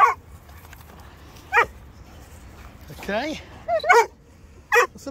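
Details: Dog with a German shepherd and Presa Canario, mother and puppies, giving sharp single barks spaced about a second apart plus a wavering whine in the middle, while a woman talks to it over quiet background hum.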